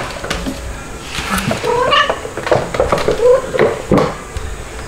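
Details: Two-month-old white kitten Stuart, still a cry baby, meows repeatedly indoors in July 2022. Short harmonic mews in an irregular run over about three seconds, mixed with rustling and handling noise.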